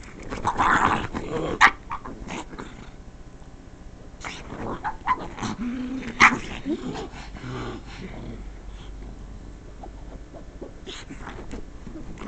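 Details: Pet pug objecting to the sound of the couch being scratched, giving loud whiny yelps early, then scattered low grumbling growls and snorts; a woman speaks softly to the dog at the end.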